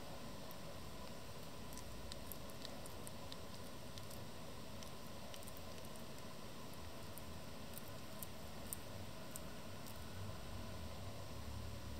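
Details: Soft patter and rustling with faint scattered clicks fill a quiet small room.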